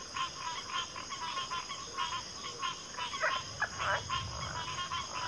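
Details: Dense chorus of many frogs calling together, overlapping croaks and rattling pulses stacked in a mid-pitched band, with a few brighter upslurred notes near the end over a steady high insect-like hiss.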